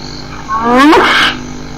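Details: One short hyena call, a rich harmonic whoop sweeping upward in pitch, with a breathy noisy burst at its peak, set against a steady low hum.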